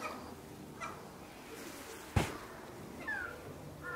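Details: Ring-tailed lemurs in the evening at Saitama Children's Zoo, Saitama Prefecture, Japan, on 18 January 2018. A sharp knock sounds midway, then a short, falling, meow-like cry rises over a quiet background murmur near the end.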